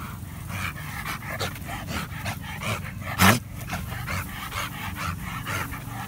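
A Bull Terrier pants in quick rhythmic breaths, broken once by a short, sharp bark.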